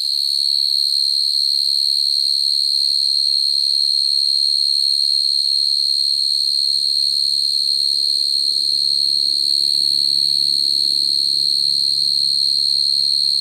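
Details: Calling field cricket summoning females, sound used to catch crickets in traps: a loud steady high trill, unbroken from start to finish, above a faint low hum and a gentle rumble that grows toward the end.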